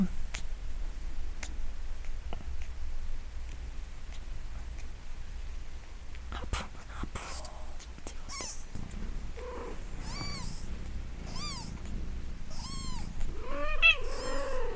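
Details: A newborn kitten about four to five days old, thought to be a Munchkin, mews loudly in thin, high, arching cries repeated about once a second, just after its umbilical cord fell off.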